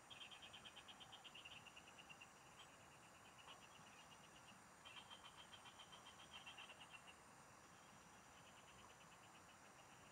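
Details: Field frogs calling during a fishing trip, with dense, fast-pulsed rattling trills in long runs. One strong series opens, another comes near the middle, and quieter trills follow, all over a constant high-pitched drone and hiss.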